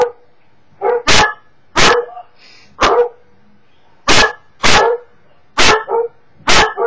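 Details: Pet Cocker Spaniel reacting to online videos with sharp, explosive barks, mostly spaced about a second apart, each with a short tonal tail; small indoor room.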